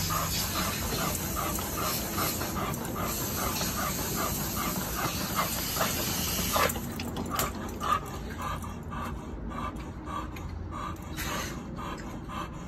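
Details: Vasco, a seven-month-old American Pit Bull Terrier puppy, panting hard while exercising: quick rhythmic breaths, roughly two per second, carried over a steady loud hiss that eases partway through.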